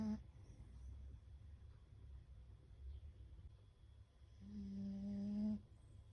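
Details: Fukuko, a pet beagle, asleep indoors. Her snoring breaths are said to sound like a chorus. A long, low, buzzing nasal snore swells near the end, with a brief one at the start and quiet breathing between.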